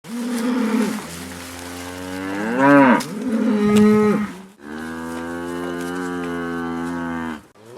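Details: Cows on pasture lowing: several long, harmonic moos, some rising then falling, one held steady for about three seconds, overlapping calls from more than one animal against soft outdoor background.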